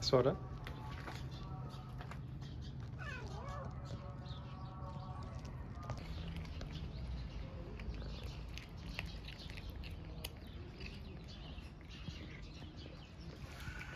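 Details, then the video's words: Stray mother cat and kitten in Istanbul wanting love more than food; a sharp opening sound, then a drawn-out, wavering meow a few seconds in, followed by quieter rustling, faint clicks and low background hum. "Homeless kitten and mother want love more than food"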